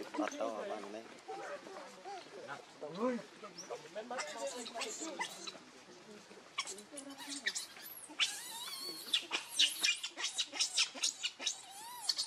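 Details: Baby monkey Leo, hungry and begging its mother for milk, gives high-pitched arched cries and squeals that grow louder and more frequent in the second half, over human talking at the start.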